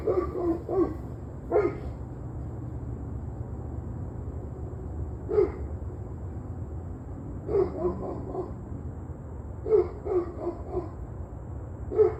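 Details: A dog barking on and off for about an hour and a half, recorded on the evening of Tuesday, November 21, at 7:06 p.m. Short, sharp barks come singly or in quick clusters of two or three, several seconds apart, over a steady low hum.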